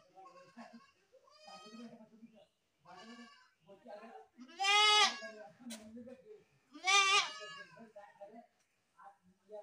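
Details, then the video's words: Goat giving two loud, quavering bleats around the middle of the recording, each rich and nasal with a wavering pitch, set among quieter bleats and human voices talking throughout. "best goat sound in the world | goat sound"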